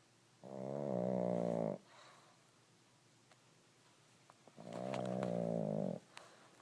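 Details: A pug asleep and snoring, two long droning snores, each about one and a half seconds, roughly four seconds apart, with quiet breathing between.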